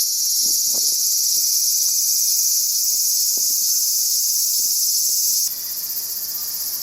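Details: Cicadas singing on a summer day, 5 August, in suburban Tokyo, Japan: a loud, steady, high-pitched shrill hiss that holds without pause for about five seconds, with a few faint low clicks beneath, then cuts off abruptly to quieter background.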